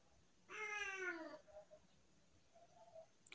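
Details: Talkative tabby house cat indoors gives one drawn-out harmonic meow lasting about a second, followed by faint softer murmurs in a quiet room.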